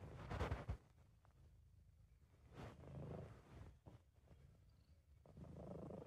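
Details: Sabu, a British Shorthair cat, purring softly when relaxed and happy: a steady, quiet low rumble running almost continuously with gentle swells and a few faint clicks, amateur recording.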